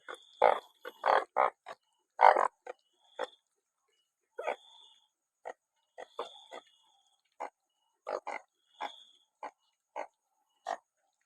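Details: A chorus of banded bullfrogs out after rain: loud honking bursts crowd the opening seconds, then softer, scattered short croaks continue irregularly, with an intermittent high whining tone in the background.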